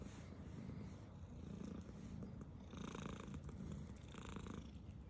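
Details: Purring black female cat at her food, a strong low rumble pulsing with her breathing, broken later by short crisp chewing and licking bursts.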